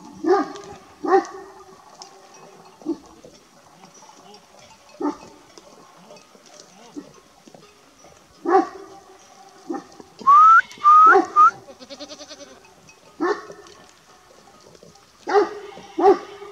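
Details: A Kangal Shepherd Dog guarding its flock near a village forest gives deep, irregular barks, with voices nearby, after the dogs chased what appears to be a young wolf.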